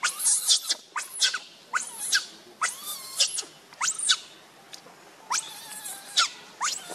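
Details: The monkey Rainbow, furious as she shields Lucie from Kachoy, lets out loud arching shrieks rich in harmonics. Each lasts about half a second and comes in bursts every second or so, with quieter squeaks between.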